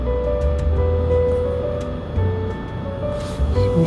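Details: Gentle background music with sustained tones and a soft low beat, with no animal voice.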